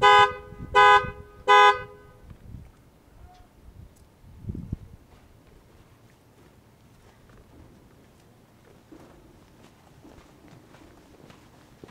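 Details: Three short car horn toots sound in the first two seconds, followed by quiet outdoor background with faint distant noises and no animal calls.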